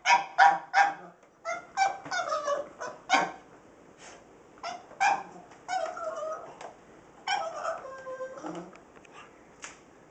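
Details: A pug, Rosco, barks at a household sweeper with a carpet attachment that is not yet switched on. Rapid yappy barks, sometimes doubled, alternate with drawn-out whiny yelps at an uneven pace in a quiet room.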